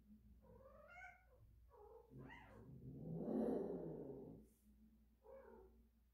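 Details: Cat in heat making strange sounds: short rising-falling harmonic meows, then a louder drawn-out breathy yowl in the middle, then another brief meow near the end, with a low background hum.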